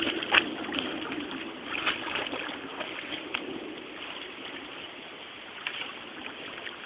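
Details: Steady splashing and rushing water fills the recording, with no animal voice heard.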